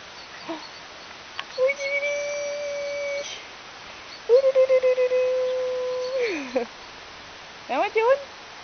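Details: Akita Inu puppies, a litter of five aged 54 days, at a kennel on 8 March 2011: two long, steady, level howls of about a second and a half to two seconds each, with shorter yelps and whimpers between them and a woman speaking French.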